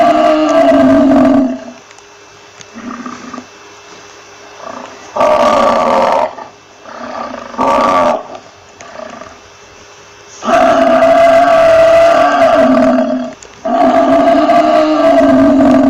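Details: A buffalo bellow at the start, several shorter moaning grunts, then two long, powerful bellows of about three seconds each.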